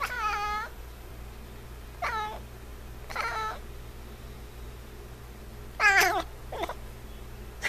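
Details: Pet F6 Savannah cat named Niko meowing indoors: five separate calls spread over several seconds, rich in harmonics, the strongest near the end, with a constant low hum in the room.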